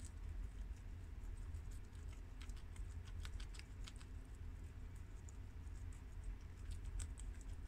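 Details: Four pet guinea pigs, two boys (tri-colour and red American) and two girls (long-haired mini yak and Abyssinian), eat freshly washed garden romaine lettuce; dense bursts of crisp crunching clicks over a steady low rumble.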